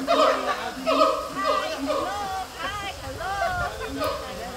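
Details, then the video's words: A siamang at Taipei Zoo gives loud, harmonic whooping hoots that swoop up and down in quick succession. "大長臂猿Siamang叫聲 Taipei Zoo"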